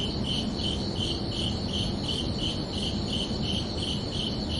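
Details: Night crickets giving evenly spaced, high, pulsing chirps roughly two each second, layered over a continuous low hum and hiss.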